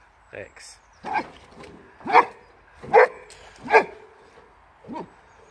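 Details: A Boxer, either adult Rex or puppy Sammie, barking at a wheelbarrow during a bout of kennel cough; five strong barks about one second apart, with faint human voices in the background.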